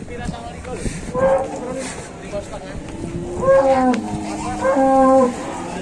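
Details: Cattle arriving by truck in Indonesia, lowing in deep drawn-out moos with clear harmonic bands, three main calls spaced about two seconds apart, the last long and level; engine rumble and a man's brief speech underneath.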